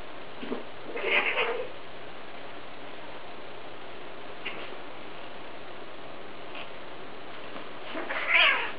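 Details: A Scottish Fold kitten gives two short, harmonic meows several seconds apart over a quiet background.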